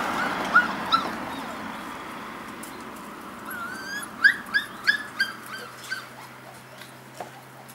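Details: Golden Retrievers, one of a large crowd of the dogs, give a thin drawn-out whine and then a quick run of about five high, short whimpering yips near the middle, over a faint steady background hiss.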